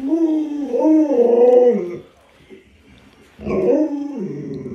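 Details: Pet Alaskan Malamute Luoluo gives two drawn-out, wavering howl-like cries, the first about two seconds and rising then falling in pitch, then a short pause before a second, shorter cry that slides downward.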